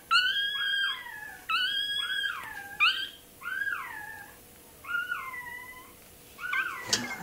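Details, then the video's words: Toy terrier puppy during tail docking, long shrill whining cries sliding downward, about five separate wails with short pauses, ending with a faint click. "Docking tails puppy. Купирование хвостика щенку той-терьера."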